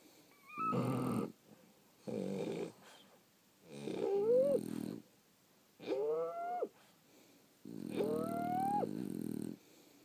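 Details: Several French Bulldogs sleeping and snoring. Five rasping, buzzy snores come roughly every one and a half to two seconds. Some carry squeaky whistled overtones that climb steeply before cutting off.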